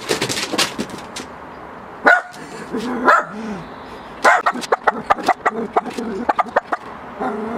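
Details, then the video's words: Miniature Pinscher barking at a balloon, sharp repeated barks in bursts with short yips, some low growly sounds between, mixed with rustling and handling noises. "The Miniature Pinscher and the balloon"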